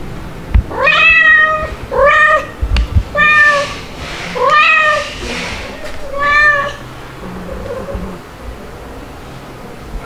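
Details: Stuart, a white male kitten in his second month, July 2022, described as still a cry baby, nursed by two mother cats: five loud, harmonic, slightly rising-then-falling meows about a second apart, then a faint trailing mew and soft indoor rustling.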